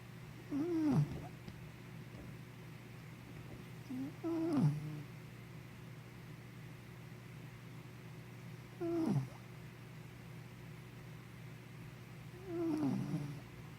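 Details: Sleeping puppy named Henna snoring steadily, four short low snores spaced roughly four seconds apart, each a brief rising-then-falling nasal rasp, with quiet breathing and a steady background hum between them.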